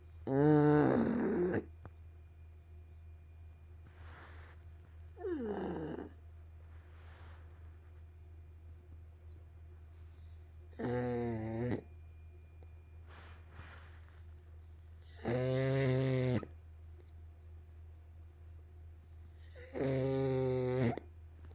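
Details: Sleeping pug snoring: loud, rasping, harmonic-rich snores last about a second each and recur roughly every four to five seconds, with softer breaths between and a steady low hum underneath.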